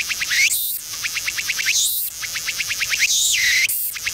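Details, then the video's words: A Walker's cicada (Tsukutsukuboshi) perched on a seaside tree in autumn sings unusually slowly in cool weather, with high clicking pulses broken by buzzy, sweeping phrases every second or so. "【昆虫採集】秋のツクツクボウシの鳴き声がゆっくりすぎた Autumn Cicada Song!!"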